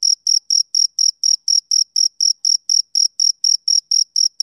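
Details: High, clipped chirps of a male cricket on a summer evening, evenly timed pulses about four per second, each brief and shrill, with no other noise.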